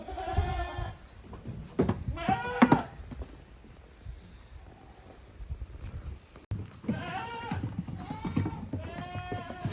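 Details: Playful goat kids in a farm's exercise yard on 30 April 2023. Several nasal, trembling bleats come in bursts at the start and near the end, separated by a quieter stretch of shuffling and knocks.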